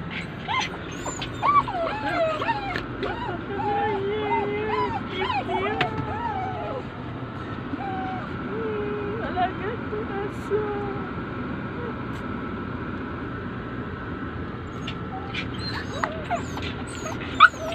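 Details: Several Poodles left behind while their owner is inside a mall, crying with high, wavering whimpers and squeaky whines in bursts over the first seven seconds, then quieter; a person talks and traffic hums throughout.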